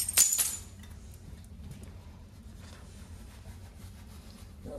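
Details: A brief metallic clink at the start, then low rumbling background noise with faint speech and no animal call.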